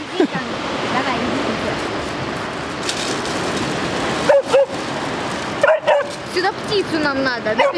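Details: Steady river rush gives way to a run of anxious, high-pitched yips and whines from Fira, a timid West Siberian Laika balking at crossing the water, repeated several times in the last seconds.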